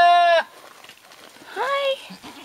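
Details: Ranch goat with a loud, steady, flat-pitched bleat lasting under half a second. A quieter pause follows, then a second wavering bleat that bends downward. Faint speech is in the background.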